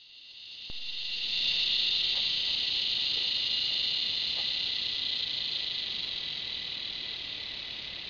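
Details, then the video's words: Cicada giving a loud, steady, high-pitched buzzing drone that swells within the first second and holds almost unbroken to the end, fading slightly. "Cicada sound"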